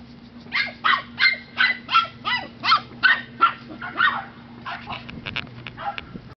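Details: Five-week-old Miniature Australian Shepherd puppies from one litter, born 29 August 2011, give a run of about ten sharp, high yips and barks, steady at first then fading into softer whimpers, with a low steady hum underneath.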